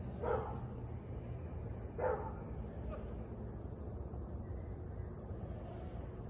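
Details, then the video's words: Husky in Louisville barking on and off for nearly 30 minutes, August 3, 2021, 6:24 pm. Two distant barks about two seconds apart, then a fainter third, over a steady high insect drone and low background rumble. "Husky to barking and Howling nearly 30 mins straight."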